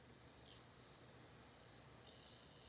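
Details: A soft chirp, then a bell cricket's high ringing tone rises out of background hiss and grows steadily louder, ending as a clear, sustained note.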